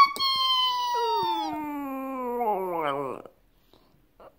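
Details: A male Shih Tzu howls along to music in long, drawn-out tones that slide downward, then waver and rise, while a person urges "one more".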